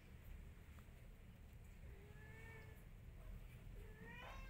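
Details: Mother cat calling her kittens to follow her while the kittens pay no attention; a few soft, drawn-out meows with a slight upward bend near the end, over steady low rumbling background noise.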